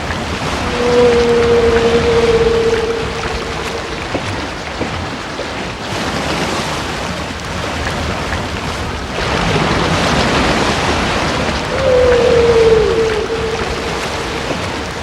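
Two drawn-out humpback whale moans, each a smooth mid-pitched tone lasting a few seconds and sagging gently at the end, stand apart from the background. Between them, a constant wash of water and surf noise fills the recording.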